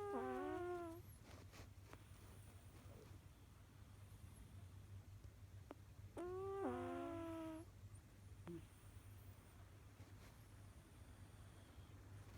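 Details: A cat's snore: two nasal, whistly exhalations, each sliding down in pitch, separated by quiet stretches with a low background drone and small clicks.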